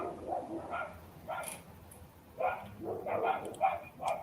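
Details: Domestic dogs barking live just beyond the outlet, the noisy one thought to be a small shih tzu or poodle; short, sharp barks in an uneven run of about eight bursts in four seconds, heard under quiet conversation.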